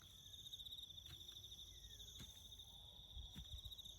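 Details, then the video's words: Crickets in the bush around a farm give a continuous high, finely pulsed trill that does not pause, over a soft low rumble and a few faint clicks. "crickets chirping"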